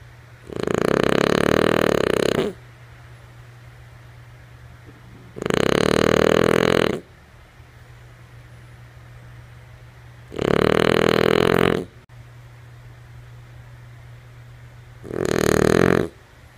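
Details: Lulu, a female French Bulldog, snoring while asleep: four long, rasping, rumbling snores, each about two seconds, spaced roughly five seconds apart, with a faint steady low hum between them.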